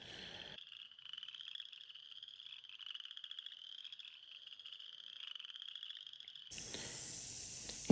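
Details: Mating calls of frogs in a northeast Oklahoma swamp: a continuous, finely pulsed high trill runs for about six seconds, then gusting wind noise takes over.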